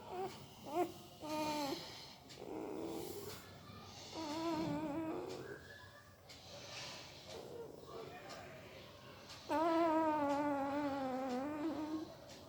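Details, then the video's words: Sleeping puppy vocalising: scattered short squeaks and muffled whimpers, then a long, loud, tremulous whine of nearly three seconds near the end; indoor setting with low background hum. "Puppy Sound while Sleeping II Puppy Making Weird Noise with Mouth II सोते समय Puppy की आवाज"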